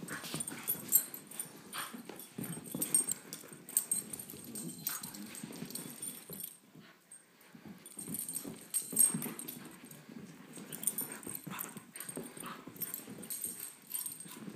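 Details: Beagle mix, 17 months old, and Great Pyrenees, 10 months old, wrestling in play; long stretches of low, throaty growling rise and fall, punctuated by thumps, scratching and heavy breathing, with a brief lull partway through.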